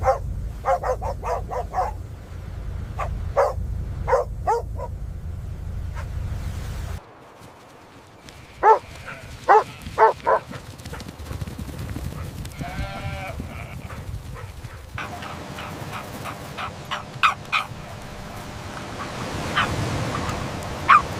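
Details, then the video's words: Puppies playing on fresh green grass, running, jumping and play-fighting, with joyful barking: short yips and barks in scattered bursts, some quick doubles, over a low rumbling background that drops away partway through. "Dog barking sounds"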